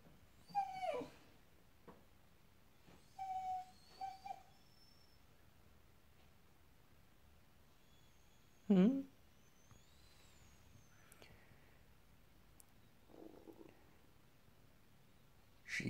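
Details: Dogs whining in the morning heat while after a squirrel, among them Muru, a female terrier–dachshund mix of about 10 kilos; thin high whimpers near the start and around 3–4 seconds, a sharp louder yelp near 9 seconds, faint whistled tones after.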